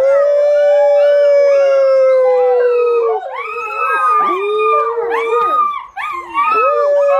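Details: Volga Wolfhound puppies, 55 days old, singing together around feeding time; one sustained howl slowly falls before a chorus of overlapping yodelling wails, bent upward and downward, crowds in, with a brief break near the end.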